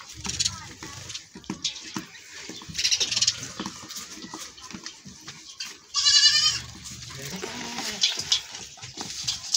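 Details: Goat running away after being milked; one loud, harmonic, wavering bleat about two-thirds of the way through, set against ongoing rustling, scuffing and clattering noise.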